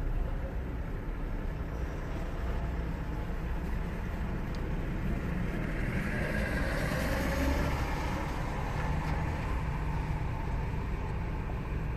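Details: Steady car cabin rumble fills the recording, a broad low hum with a faint brighter swell midway and no animal voices.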